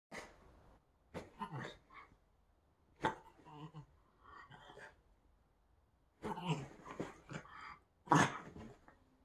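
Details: A female rescue dog in Boston rolling around on the bed before bedtime, making all kinds of goofy sounds: bursts of snorts, grunts and huffing breaths separated by short silences, ending with a louder snuffling sneeze.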